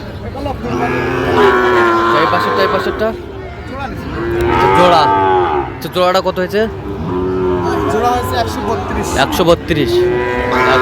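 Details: Sahiwal bulls at a cattle market on 31 January 2025: several loud, harmonic moos follow one another over about ten seconds, some rising and falling, with short bursts of clatter and background voices.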